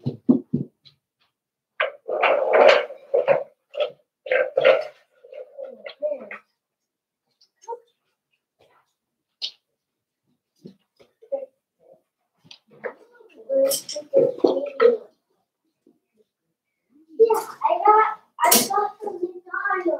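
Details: Five-week-old Cavalier King Charles Spaniel puppies of Daisy's litter in their indoor puppy pen, giving runs of short squeaky whimpers and yelping cries in irregular bursts, broken by quiet pauses, with soft shuffling in a small room.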